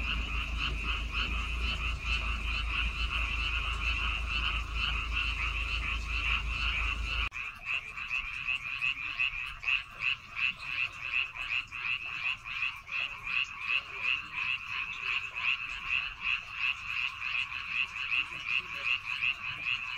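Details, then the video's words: Rice-field frogs on Baengnyeongdo Island call in a massed chorus. A low rumble fills the first seven seconds, then stops abruptly. After that the rapid croaks stand out, pulsing about two or three times a second. "백령도 논에서 우는 개구리 울음소리"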